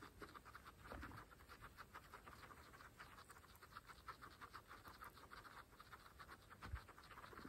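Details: Pregnant female guinea pigs from a group of 26 kept as pets munch fresh grass, with a steady patter of rapid, crisp chewing and nibbling clicks throughout and a faint rustle of grass.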